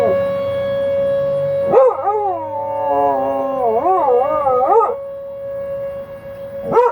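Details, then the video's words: Dog howling along with tornado sirens during the monthly noon siren test; a steady siren tone runs throughout while the dog's wavering, rising and falling howls start near two seconds and continue for about three seconds. "howls with the tornado sirens"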